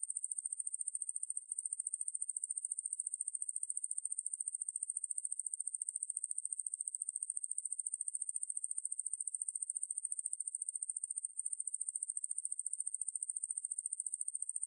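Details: Unbroken shrill trilling from a wangmaeburi katydid, a fast, regular pulse train held at one very high pitch, with two short breaks in the rhythm; background otherwise silent.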